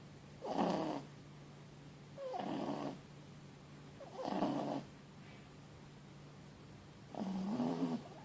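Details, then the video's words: Loud snoring from Mochi, a four-month-old Boston Terrier and French Bulldog cross puppy asleep after a long day: four rasping, slightly whining snores spaced roughly two seconds apart, with a constant low background hum. "Un chiot ronfle bruyamment"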